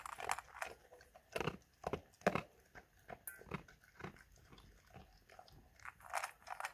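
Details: A German Shepherd eats its food indoors. Separate crunchy bites come every half second or so between short quiet gaps, with a few sharp cracks of kibble breaking.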